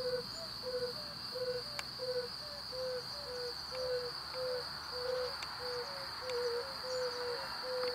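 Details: Breeding-season chorus of male yellow-bellied toads in temporary pools or ruts, calling to draw in females: two males trade soft low hoots at slightly different pitches, about seventeen notes in eight seconds, with a constant high whine and occasional clicks.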